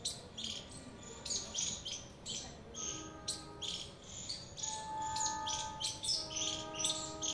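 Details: A squirrel chirps sharply and high, repeated about three times a second in uneven runs, with faint sustained tonal notes running underneath.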